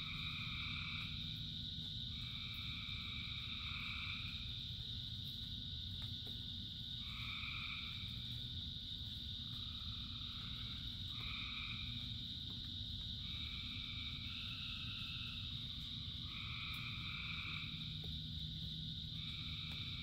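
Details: Frogs singing in the rain, with clustered trilling calls in two pitch bands starting and stopping every few seconds against an unbroken high-pitched chorus and constant rain noise.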